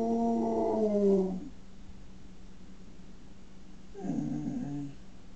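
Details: A male pet dog tries to howl, producing a sound its owner likens to a pig: two wavering, harmonic howling notes, the first loud and lasting just over a second, then a quieter rough one after a pause, over a steady low hum.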